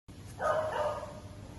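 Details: An Alaskan Malamute, said to be the largest in Indonesia, gives a short, tonal, slightly wavering woo-like vocalization.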